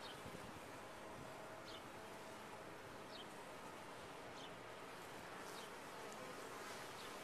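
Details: Colony of honey bees kept in a top-bar hive producing an unbroken, even buzz, broad humming texture with occasional faint high clicks and no other animals.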